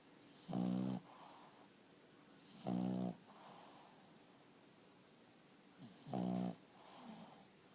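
A Boston Terrier snores in low, rumbling rasps, each lasting about half a second.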